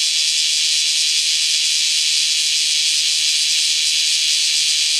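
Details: Kyoto bear cicadas resuming their noisy calling once the rain ends; an unbroken, loud, high hiss like rushing steam fills all five seconds.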